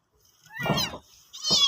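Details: Domestic cat giving birth to kittens indoors: two meows, a long wavering one followed after a pause by a shorter, higher, tense cry.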